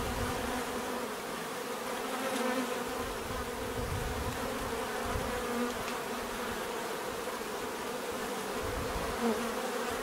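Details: Many bees producing a continuous buzzing drone, humming tones drifting slightly up and down as individuals move about, with a faint close pass near the end.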